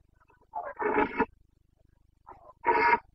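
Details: Rutting Carpathian stag in the Bucovina mountains of Romania, 29 September 2022, giving boncănit roars. Each of two bursts opens with a short grunt-like note, then a loud, coarse, harmonic bellow under a second long, with faint low hum behind.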